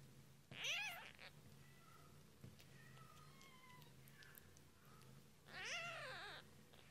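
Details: British shorthair/longhair kittens just a few days old, being fed indoors, give two loud rising-falling harmonic meows about five seconds apart, with soft squeaks and faint clicks between them over a low background hum.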